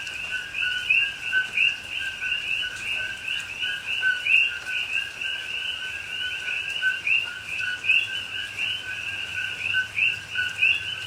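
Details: Many coqui frogs calling through night rain in a rainforest in Pahoa, Hawaii, October 2021: constant overlapping 'co-qui' chirps, each a short low note rising to a sharp whistled upslur, above a soft rain wash.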